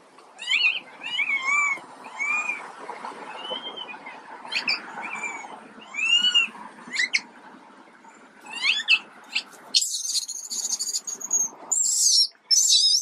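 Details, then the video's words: Quinton, an unwell baby monkey, keeps up a run of short arched cries and thin squeaks, fast and uneven, followed by a high, hissing, shrill squeal near the end. "Poorly baby Quinton"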